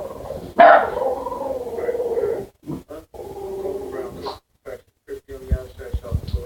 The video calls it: Boston Terrier Strange Noises